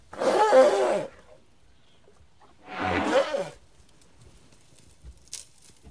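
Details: Two rough, breathy, noisy roars about a second long come from a young elephant at play, separated by a short quiet gap.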